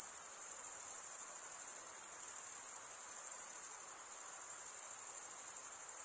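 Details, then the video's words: Continuous shrill cricket chorus, made by males stridulating their wings, heard as a rapid, even, high-pitched pulsing trill with small swells in loudness and nothing else in the background. "Most relaxing cricket sound"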